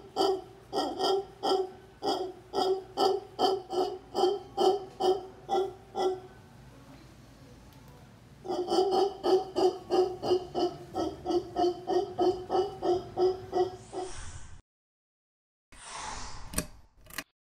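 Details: Howler monkeys (mono congo) from a troop in Potrero, Guanacaste, Costa Rica, giving rhythmic rasping grunts about three per second, a pause near six seconds, then another run before the sound cuts out.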